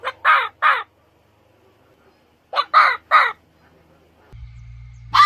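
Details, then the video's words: Fox uttering hoarse, screechy calls in two clusters of three, each call short and rough, with a quiet pause between the groups and a faint low hum at the end. "7 Weirdest Fox Sounds"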